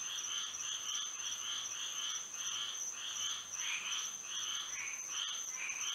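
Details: Frogs chorusing at night under moonlight in Florida: pulsed trills around the upper-middle range repeating in bursts roughly every half second, layered over a steady high insect-like whine.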